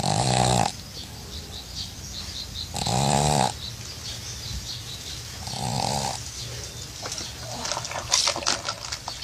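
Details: A female pug lies relaxed in a small bathtub and breathes with rough, rattling snores. The snores come in three bursts roughly every three seconds, and soft rustles follow.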